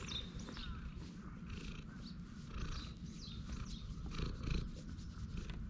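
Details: Stray cat relaxing on a bench, purring with pleasure while being stroked, filmed on a GoPro HERO8: a steady low rumbling purr with gentle swells, plus faint high chirps in the background.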